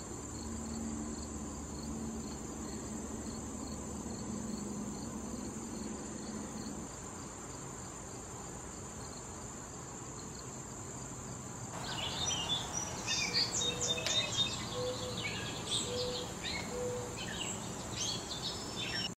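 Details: Crickets around a late-summer patch of wild thistle visited by bees and butterflies, a constant shrill trill with a faint pulsing tone beside it, joined after the midpoint by brief chirpy higher notes.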